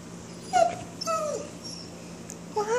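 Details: Female German Shepherd in heat whining indoors for her ball: three short, high, nasal whimpers, the middle one sliding downward, spaced about a second apart, with a steady low hum in the room.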